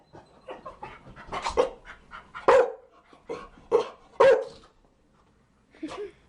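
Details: Chow Chow dog barking in an irregular run of short, sharp barks mixed with softer huffs and panting, ending in a final bark after a pause.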